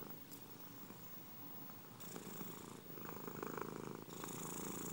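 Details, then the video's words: Purring domestic cat, a rough low rumble that grows louder and breathier partway through, with the breathing cycle audible as shifts in texture. "RonRonthérapie pour dormir comme un bébé grâce aux ronronnements des chats"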